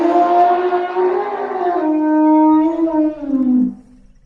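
An elephant gives a long, brassy trumpet that holds steady, then slides lower before ending abruptly.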